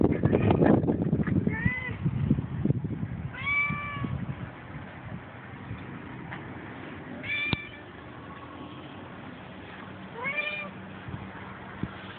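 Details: Manx Siamese cat on a balcony seeking attention: after some low rustling and handling noise, three clear bending meows follow at spaced intervals of a few seconds, over faint steady background hum.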